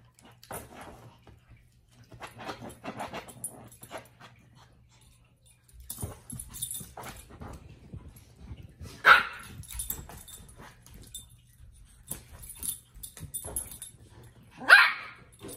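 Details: A playful Shih Tzu lets out two abrupt, bright, high barks about six seconds apart. Between them come quieter scuffles, rustling and shuffling, faint whimpery sounds and household movement.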